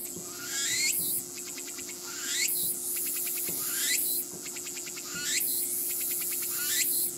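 A Walker's cicada sings high, buzzy phrases, each a rising sweep then a rapid pulsed rattle.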